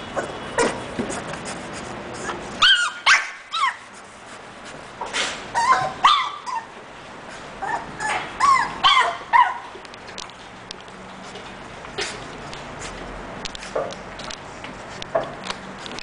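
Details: English Bulldog from a breeding kennel whimpering and yipping in clustered bursts, high whining yelps with bent pitch, about two per second at their densest, with quiet gaps and faint rustling between.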